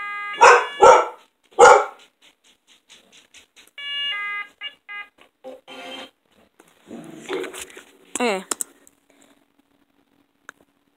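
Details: Dog reacting to loud noises with three loud, harsh barks, followed by quieter tonal bursts, scattered noise and a brief wavering whine.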